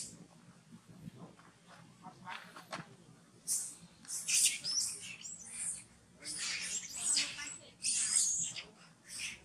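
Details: Hungry newborn monkey Farrah, refused milk by Fauna, lets out shrill high squeals in clustered bursts. The cries come after a quieter opening with faint background murmur.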